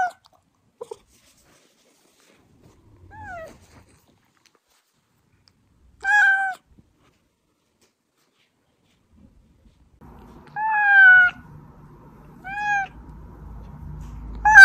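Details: Pet cat Oz meowing, a recording used to call out hiding cats; scattered harmonic meows, some falling in pitch, a pair near the middle and a louder run of three toward the end, over a faint low indoor hum.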